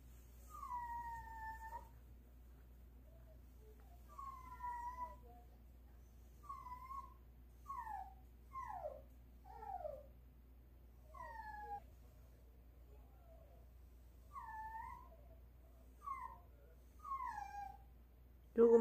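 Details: Pet dog Ttolttori whining early in the morning, begging for meat while it thaws; a series of about a dozen high, whistle-like whines, each bending down in pitch, spaced every one to two seconds across a quiet room.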